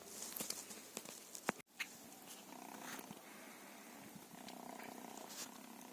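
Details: Feral cats purring softly, a faint steady hum with rhythmic pulses that settles in after a sharp click and brief silence, joined by scattered light taps and rustles close by.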